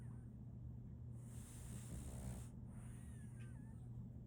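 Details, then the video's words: Female French Bulldog Solaimy asleep, with a long airy inhale that ends in a brief low rattling snore midway, then quieter breathing over a constant low hum. "RONQUIDO de un French Bulldog"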